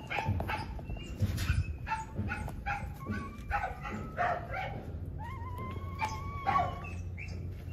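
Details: Mother dog reunited with her three puppies after they fell from the cage; short yips and whimpers recur, ending in thin rising and falling whines, over steady low background rumble.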